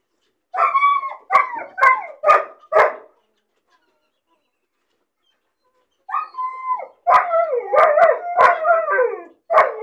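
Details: Caged alone and lonely, a bored puppy gives four quick yelping barks, falls silent for about three seconds, then resumes with a drawn-out falling whine and a rapid string of high barks.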